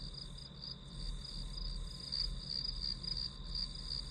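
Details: Chirping grass insects heard during a study session, rapid pulsed high-pitched trills near-continuous, with a soft low-frequency hum underneath.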